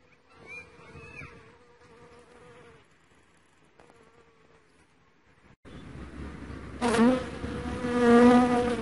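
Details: Dark honey bee droning, at first faint and intermittent over a quiet background. Then the hum turns loud, close and continuous with a sharp rise in volume, full of buzzy overtones.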